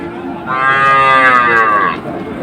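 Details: Cow at Ambari cattle market in Dinajpur, where cows with calves are sold, 24 May: a single drawn-out moo lasting about one and a half seconds, rich and harmonic, gently falling in pitch at the end, with faint market background.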